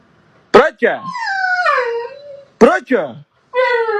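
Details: Husky dog vocalizing indoors: two sharp yelping onsets lead into a drawn-out, wavering tonal howl that slides gently downward, then another pair of yelps and a steady, rich-toned howl starts at the end.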